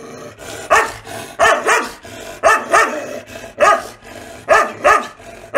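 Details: Aggressive Rajapalayam hunting dogs from South India, kept to guard farmers' fields against wild animals, bark in quick doubled pairs: about ten loud, harsh woofs grouped two at a time, with brief gaps between pairs.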